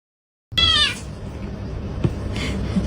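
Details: Pet cat giving a single short, arched meow that rises and falls, followed by steady background noise and a faint click in an indoor room.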